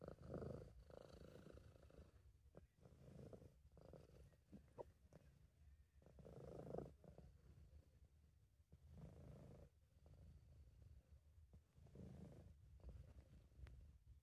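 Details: Quiet low purring from a relaxed British Shorthair cat, amateur recording; soft rumble pulsing with inhales and exhales over a steady faint background hum.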